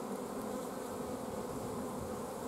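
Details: Continuous droning hum of honey bees at an apiary hive, filmed 14 June 2016 while forage was scarce and the colony had stopped the queen laying; an even, unbroken buzz holds level from start to finish.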